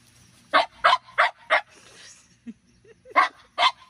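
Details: Two pet French Bulldogs, one-year-old Minnie Rose and ten-year-old Sami, at play under a grape pergola in a morning garden: a rapid run of four punchy barks, a brief lull with soft yips, then two more barks.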